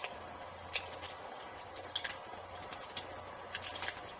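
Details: Evening crickets by a crackling fireplace give a steady high-pitched trill without pause, while bursts of fire pops sound every second or so.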